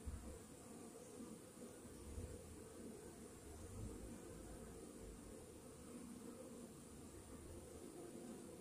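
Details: Honey bees humming in a hive with a Varroa mite infestation, shortly after treatment; a steady, uniform low drone throughout, with a faint thin high tone in the background.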